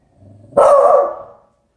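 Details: Beagle Shiloh, perched on the sofa and guarding the door indoors, lets out a low growl that breaks into one long, loud, baying bark lasting nearly a second.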